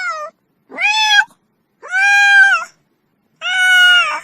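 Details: Close, loud cat meows: three long, flat, slightly nasal calls near a second each, with a short clipped cry at the start, clean silence between them.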